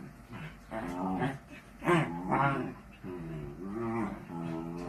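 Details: Miniature dachshund, a pet sausage dog, playing: drawn-out, wavering harmonic whines and grumbles in a few bursts of about a second each, with brief human speech in the background.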